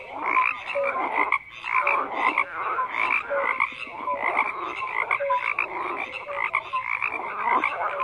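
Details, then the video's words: Steady chorus of frogs croaking, rasping croaks in repeated bursts about every second, short clear tonal notes between them, one brief lull after the first second. "FROGS CROAKING"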